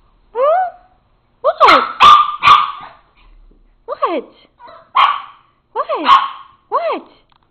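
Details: Rivet, a papillon dog, in a jumping barking fit over tomatoes on the counter: sharp barks come in a quick run of three, then spaced single barks, with a person talking soothingly over and between them.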